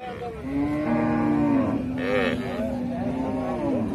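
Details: Calf mooing in a long, low drawn-out call with a steady tone, then shorter wavering moos follow, heard clearly and loud throughout.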